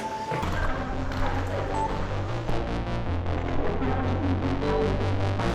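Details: Background music plays throughout, with bass, sustained tones and a quickening pulse, and no animal voice.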